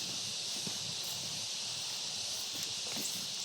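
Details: Loud crickets in the Philippine countryside, a dense steady high-pitched buzzing chorus filling the air throughout, with faint rustling and footsteps beneath.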